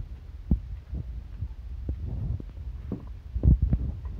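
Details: Miniature Pinscher Chi-chan eating a meal of dog food, heartily and with relish. Dull, low crunching thuds come in irregular bursts, some louder bites standing out near the middle and end, against a soft, steady background hum.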